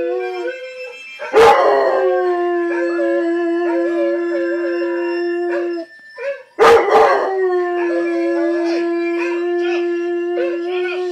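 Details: A blue Weimaraner howls along to a dog on TV howling to a harmonica, in long, sustained, steady-pitched notes.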